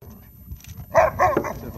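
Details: An Alaskan Malamute playing with other malamutes in water gives two short, harsh barks in quick succession.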